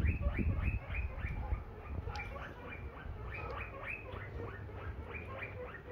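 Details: Guinea pig taken home, giving steady strings of brief high squeaks, each sliding up then down, repeated rapidly and unevenly over low rumbling background noise.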